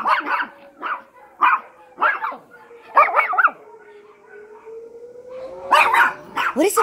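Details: Several Yorkies howl and yelp in reaction to a sounding alarm, giving choppy, bursting cries in quick clusters over a steady, sliding alarm tone, with a louder flurry of yips near the end.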